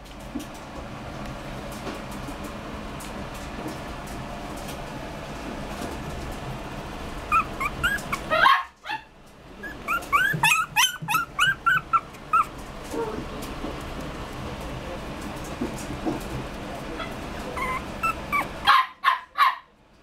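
A Poodle-Pomeranian mix puppy gives high, thin whimpers and short yips in quick bursts.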